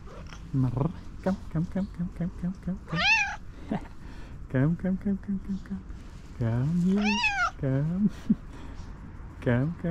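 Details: Hungry tuxedo cat named Tuxie, friendly and happy to see her owner, trades a run of short chirps and several long wavering meows with a man's affectionate talk over about ten seconds.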